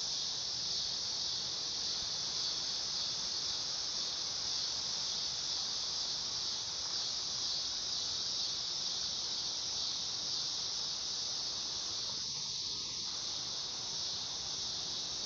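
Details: Steady, unbroken high-pitched insect drone from a dog-day cicada (Neotibicen canicularis), even in loudness throughout, with a faint brief chirp from another creature about twelve seconds in.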